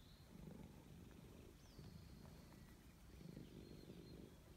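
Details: Grey stray cat purring loudly while being petted, a steady low rumble in pulsing bursts; thin whistled bird notes drift in the background.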